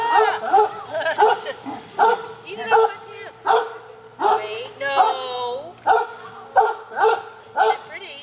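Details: Pet dogs being handed an afternoon snack, with several dogs present. Quick yelping barks and a rising whine repeat in uneven bursts, while a woman talks and tells the dogs to wait.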